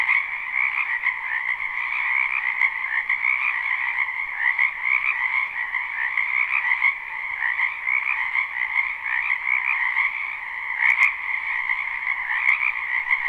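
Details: Live spring recording from a wetland full of frogs: an unbroken chorus of massed pulsing croaks at steady loudness, with a few faint clicks near the end.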